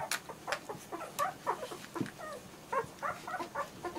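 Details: Squeaky whines and yelps from German Shorthaired Pointer puppies, short rising and falling notes repeated in quick bursts, several pups calling together.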